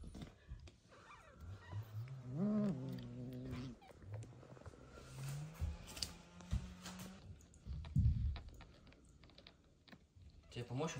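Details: Mother cat, just back from surgery after a difficult birth, reunited with newborn kitten Michael indoors; a low harmonic meow, then a long steady drawn-out low tone and a brief rumble, with rustling around.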